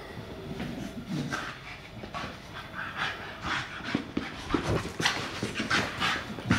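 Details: Puppy pestering his sister to play, heard as rapid breathy panting and huffing bursts with occasional soft squeaks, uneven in rhythm, indoors with a person's voice at the end.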